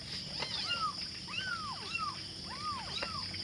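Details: Five hungry kittens calling for their mother: overlapping short, arching mews rising then falling, several per second, over a steady high-pitched hiss in the background.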